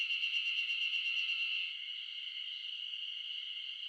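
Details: Ezo spring cicadas in a loud chorus in the Shin'etsu highlands of Japan in mid-June, drowning out birds: a dense, steady shrill buzz with rapid pulsing in the first half, then a continuous even drone.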